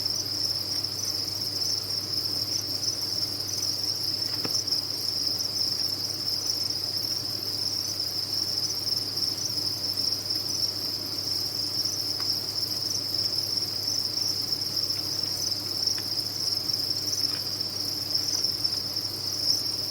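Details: Unbroken high trilling from a crowd of farmed crickets, thin and piercing, holding a constant level throughout, a faint low hum underneath.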